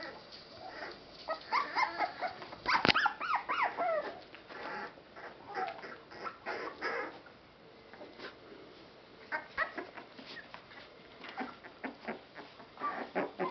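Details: Rescue Boston Terrier/Pit Bull mix puppies from one litter: a busy run of short whimpers and squeaky yips, with a cluster of rising-falling whines near the third second, calls tumbling over each other at irregular intervals.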